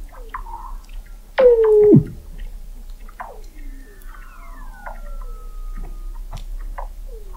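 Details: Under thick sea ice at McMurdo Sound, Antarctica, in November 2017, Weddell seals call near an observatory 21 m deep; a loud sliding descending tone drops sharply, followed by chirps and a long gently falling whistle.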